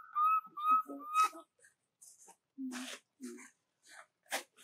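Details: A young monkey cries for its mother before falling asleep. Three loud, piercing whistled cries, each slightly rising then flattening, come in quick succession, followed by low murmuring sounds, rustles and thumps.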